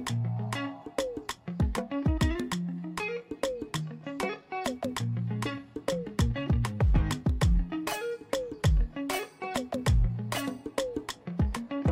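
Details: Plucked guitar music with a steady bass line and strummed chords, and no animal sounds.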